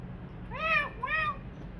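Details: Two quick arched meows in succession from a kitten once living on the street, each rising then falling, against a quiet low hum.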